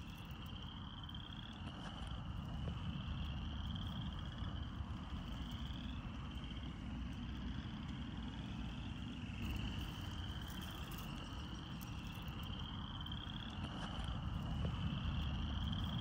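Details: Spring chorus of frogs in a glade, with crickets also calling: continuous buzzy pulsed trills that rise slightly in overlapping waves every few seconds, set against a constant low-pitched rumble of wind or traffic.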